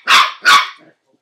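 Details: Scottish Terrier puppy, nine weeks old, barks twice while playing with a tea spoon: short, bright, high-pitched yaps about 0.4 seconds apart, then quiet.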